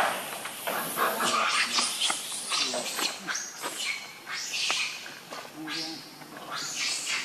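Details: Loud, harsh screaming from hungry baby monkey Leo demanding milk from its mother, with continuous rough shrieks rising and falling and barely a pause between them.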